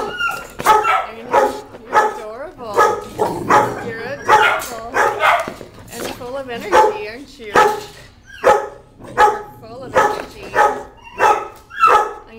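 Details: Female dog, described as full of energy, barking in sharp bursts roughly every second, while a woman talks to her soothingly.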